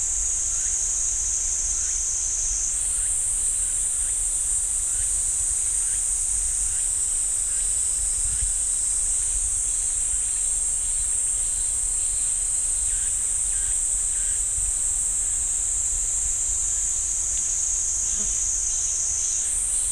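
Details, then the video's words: In a pine forest at Ssanggyesa temple, Jirisan National Park, cicadas keep up a sharp, continuous high drone that swells in strength after the first few seconds, with faint short repeated ticks below it. "지리산 쌍계사 소나무 숲 매미 소리"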